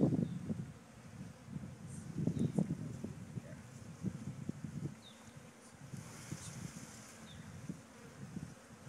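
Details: Buzzing of a honeybee swarm during a gentle relocation on a farm, the swarm having left one of its hives; dense low droning swells and fades irregularly throughout, with faint rustles.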